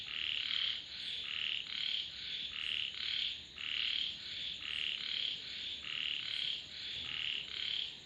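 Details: A frog chorus of rasping croaks repeated in a regular rhythm of roughly one burst every half second, bright and high, voices overlapping continuously with a thin steady hiss behind.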